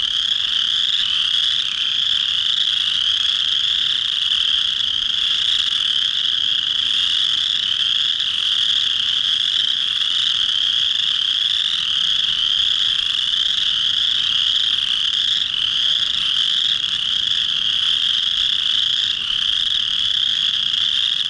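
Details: A dense chorus of chorus frogs, males singing to attract females to a breeding pond in early March during the first warm rainy days of spring; a continuous overlapping trill of high rasping calls with no pauses.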